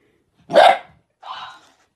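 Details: Dog giving two separate barks, a loud sharp bark followed after a short pause by a softer, higher, slightly whiny one, in an otherwise quiet setting.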